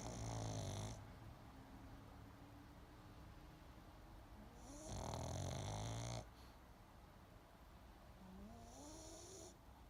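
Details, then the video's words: Sleeping pug snoring in slow rhythm, loud rattling, wheezy snores roughly every four seconds, separated by quiet low breathing and a thin rising whistle on the exhale. "Snoring Pug Wants To Help You Sleep"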